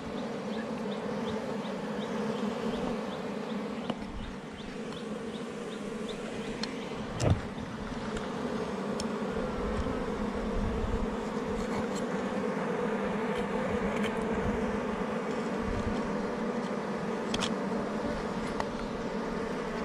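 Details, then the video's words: Honey bees at a wild hive under rocks in the forest, raided by a honey hunter: a dense, steady buzzing hum with bands near 250 and 500, a few sharp knocks and clicks over the drone. "catches beehives with lots of honey under rocks"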